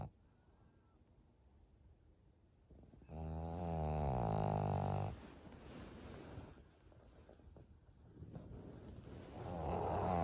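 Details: Maria, a thirteen-year-old fawn female pug in Japan, snoring on 25 June 2023. Quiet breathing leads into one loud, drawn-out, harmonic, rattling snore lasting about two seconds, then softer noisy breaths and a rising snore at the end.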